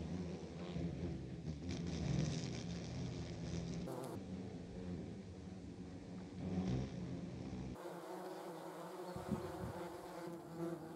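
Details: German wasps (yellow jackets), filmed in slow motion: a continuous low droning buzz of several wasps, layered and fluctuating, with brief changes in background noise partway through.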